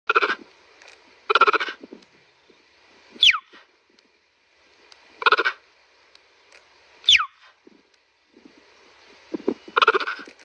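A cheetah gives short, bright, bird-like chirps, with a few sharp downward squeaks between them.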